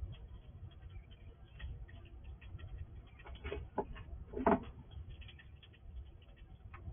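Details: A wild squirrel visiting a house at night, recorded with night vision, quickly eats all the food, making faint, irregular crunching and clicking with a few sharper gnawing bursts over a steady low background hum.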